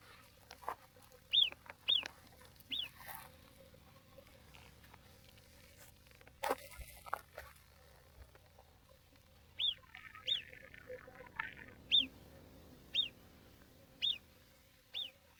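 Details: On the snowy Tour du Mont Blanc trail near Col de la Seigne, an Alpine marmot gives sharp, high, downward-sliding whistles in bouts of two or three, with a second marmot calling from higher up.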